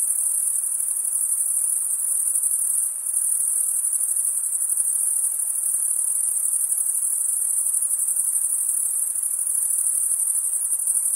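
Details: Insects calling at night: a continuous, very high-pitched shrill trill holding steady without pause, with a brief dip near three seconds and a faint softer hiss lower down; no other animals or voices.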